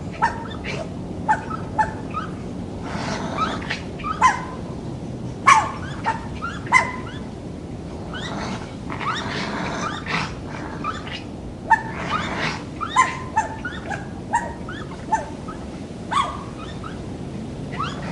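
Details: Night recording of a wild raccoon in forest habitat: rapid series of short whining yelps and raspy grunts, roughly one every second, uneven in rhythm, over a soft steady background noise.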